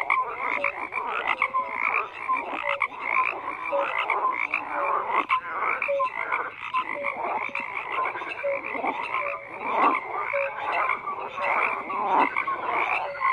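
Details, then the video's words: Dense gathering of croaking frogs, continuous rattling calls stacked with short tonal pips, rhythmic pulses roughly each half second to second, steady and busy with no other noises. "FROGS CROAKING"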